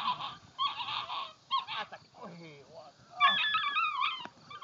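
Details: A ten-week-old puppy giving high, wavering whines and yelps in short bursts, some with sliding pitch, with quiet gaps between them.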